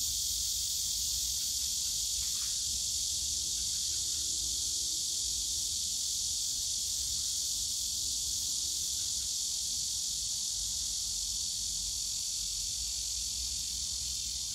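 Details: Summer cicada chorus from a bamboo grove at Yongsan Family Park: a continuous shrill buzzing wall of sound holding steady for the whole stretch, with a faint low hum drifting in twice and distant background rumble.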